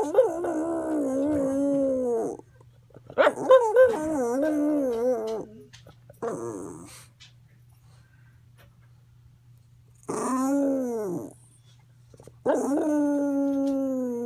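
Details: Medicated pet dog Roo sings and howls strangely: several sustained harmonic wails with wobbling pitch, some arching up then down, the longest about two seconds, spaced by quiet stretches over a low electrical hum.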